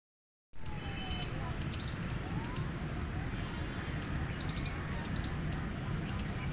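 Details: Gray squirrel chirping loudly: sharp, clicky chirps repeated in short uneven runs about every half second, with steady low background rumble and faint gliding whistles underneath.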